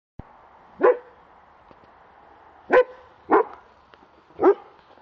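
A German Shepherd gives four deep, forceful protection barks, spaced irregularly over a few seconds.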